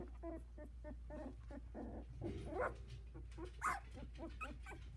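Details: Havanese puppies aged 16 days, a litter of four, walking and vocalizing in the whelping box. Scattered short whines and a few drawn-out, rising squeals with sharper yips, over a steady low hum.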